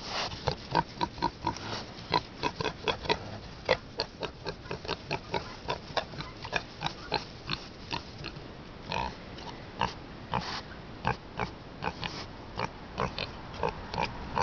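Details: Happy pet pot-bellied pig greeting its owner with a long series of short rhythmic grunts, roughly two to three per second, some louder and fuller than others, without other clear sounds.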